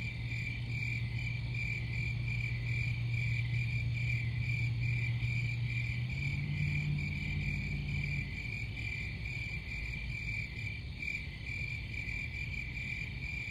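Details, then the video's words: A continuous cricket chorus of rapid, high, pulsing chirps that holds one pitch throughout. A low droning hum plays under the first half, then shifts slightly higher and fades. A broad low rumble continues behind. "Crickets Sound"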